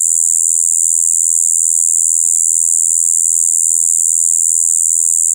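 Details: Steady high droning "bii" of a Shibuiro kayakiri katydid, recorded 2 April 2023, running monotonously without a break, its tone blending high and low.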